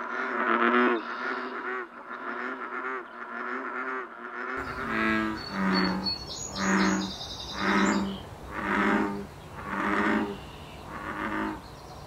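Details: Bullfrog chorus in breeding season in the wild in Canada: a loud, rough burst of overlapping calls, then six deep, humming croaks evenly spaced about a second apart, with a few high bird notes.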